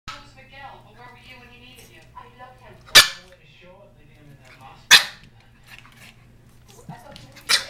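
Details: Holly, a 4-month-old Norwich Terrier puppy, gives three sharp, short yaps about two seconds apart, each a brief burst. Softer wavering tones and a person's voice fill the gaps, with a steady low hum underneath.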